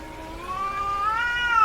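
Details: Female domestic cat in heat giving a single drawn-out, rising meow, harmonically rich and steady, climbing slightly in pitch toward the end.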